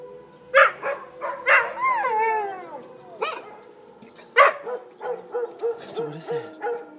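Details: Pet dogs Pandora and Winston responding to tornado sirens: scattered yips and a short wavering howl, then a run of quick, evenly spaced low yelps with softer background sound.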